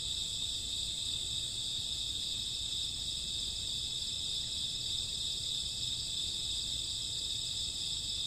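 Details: Crickets on a summer or autumn night produce an unceasing high, buzzy chorus, multiple stacked pitches holding level without pause.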